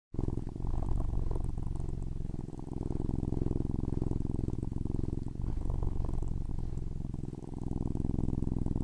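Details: Domestic cat purring loudly and continuously, a deep rumbling purr with fast regular pulses throughout, close and steady with slight dips in intensity, recorded indoors.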